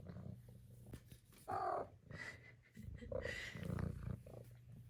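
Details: A four-month-old female Maine Coon kitten indoors gives two short rolling trill-chirps, the second brighter and higher, with a soft low purring hum underneath and faint household noise.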